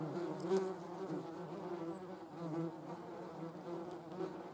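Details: Steady humming buzz from German wasps, several wavering tones overlapping, with small surges of loudness every second or so as individuals fly nearer.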